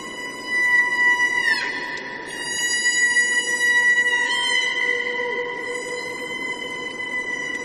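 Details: Killer whale (Orcinus orca), call.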